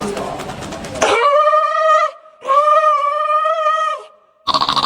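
A seal gives two long, steady, nasal wails, each about a second, after a burst of background chatter.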